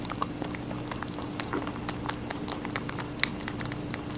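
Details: Rabbit munching watermelon, with rapid, moist, crackling chews packed closely together and a constant low hum underneath.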